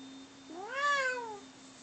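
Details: One of two house cats, Bono and Mickey, mid-fight: a single loud meow that swells upward and slides down, under a second long, over a constant low electrical hum.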